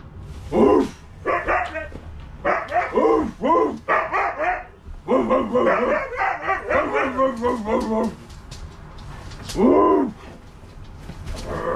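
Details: Two Siberian huskies at home playing with a new stuffed toy husky, giving a run of harmonic, arching woo-like vocal bursts that rise and fall, with a longer pause before a final yodelling call near the end.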